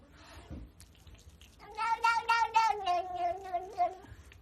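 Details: Cat from a funny cat compilation uttering one long, quavering meow lasting roughly two and a half seconds, slowly falling in pitch, with faint background noise before it.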